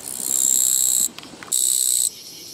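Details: Japanese katydid found beside a walking path, 24 August 2017, giving a dry, high-pitched buzz of about a second, a short break with faint low sounds, then a second shorter buzz of the same rasping quality.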